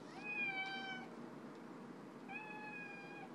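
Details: Pet domestic cat meowing repeatedly indoors while lying on its back: two steady, flat, clear harmonic meows nearly a second long each, about two seconds apart, over faint room hiss.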